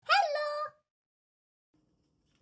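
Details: Indoor domestic cat giving one short meow, under a second, with a bright harmonic-rich start that slides slightly down and cuts off cleanly, followed by near silence.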